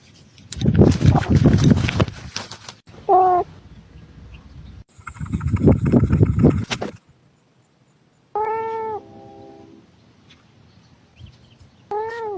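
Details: Mr Kitters, a domestic cat, gives short meows, a brief one early and a clear meow later followed by another at the end, amid bursts of loud rustling and low thumping noise.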